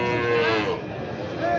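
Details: Sahiwal bull calf at Raniganj market, Dinajpur district, Bangladesh; a short nasal moo of about half a second, then market murmur and voices in the background.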